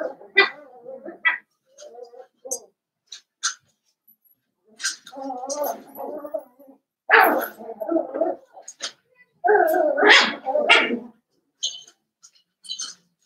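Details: Litter of five Blenheim Cavalier King Charles Spaniel puppies born at New Year's, whimpering and whining in a home puppy pen; overlapping nasal whines and yelps come in bursts with brief pauses, several loud squeals standing out toward the end.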